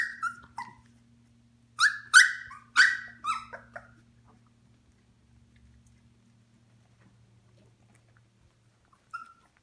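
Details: Shikoku puppy, 18 days old, eyes newly open and starting to toddle: a burst of high, thin squeaks and whimpers, each falling in pitch, about eight in three seconds, then quiet with a faint hum and one last squeak.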